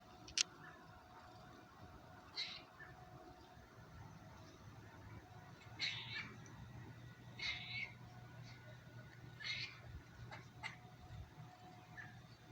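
A squirrel gives short, high squeaky chirps, spaced a second or two apart over a low hum.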